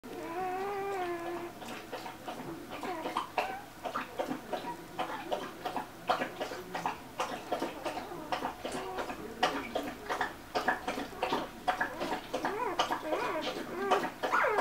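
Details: Two-day-old Golden Retriever puppies in a litter, giving a steady stream of short high squeaks and whimpers, some drawn-out and wavering, overlapping at an irregular pace of roughly one per second, with soft shuffling between calls.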